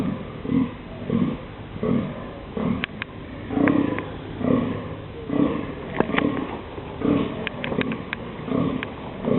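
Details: Rutting male deer in dunes in mid-October, barking to announce the mating season, letting people come close: a steady series of short, deep, throaty grunts, roughly one per second, with occasional sharp clicks between them.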